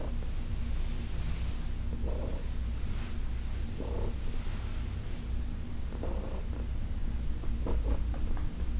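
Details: Heidi, a senior female cat adopted from the Humane Society of New York City, purrs while being massaged in August 2021: a steady low rumbling purr that swells with brighter breathy bursts roughly every two seconds.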